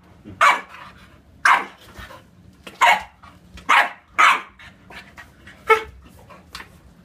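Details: Bulldog (Canis familiaris) gives short, harsh, gruff barks at uneven intervals while an English Bulldog and an Olde English Bulldog play together; the two are described as friends.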